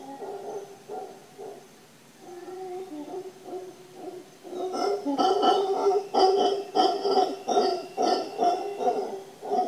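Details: Howler monkeys on the Papagayo Peninsula, Guanacaste, Costa Rica, give deep, moaning howls that swell into loud, rasping roars repeated in quick pulses.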